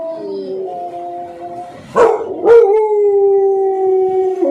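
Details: American Pit Bull Terriers howl in long, steady, mid-pitched tones, broken by two sharp barks.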